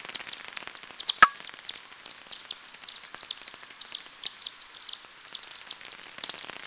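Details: Time-expanded echolocation of a Daubenton's bat foraging at a small river near Plön, Pettersson receiver; rapid series of brief chirping sweeps in quick succession, one loud sharp click near the start, light background hiss.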